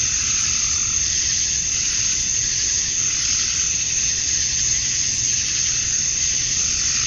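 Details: A chorus of male cicadas on a summer evening in Georgia, USA, chirping to attract mates: a shrill, unbroken buzzing wash that slowly rises and falls about every three seconds.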